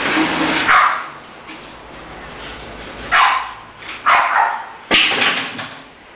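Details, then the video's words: English bulldog giving four short, sharp barks or yips, the first near the start and three more spaced about a second apart later on, over a steady background hiss. "English bulldog"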